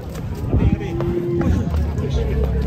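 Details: Cattle, a bull rampaging as it breaks loose coming down off a truck. A single drawn-out, steady low moo lasts under a second. Background music, rumbling handling noise and voices are also heard.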